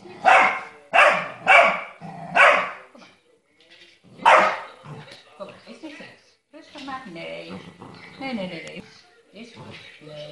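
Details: Stabyhoun (Frisian pointing dog) puppy, 13 weeks old, giving five sharp, loud barks spaced over the first four and a half seconds, followed by softer human voices talking and faint rustling.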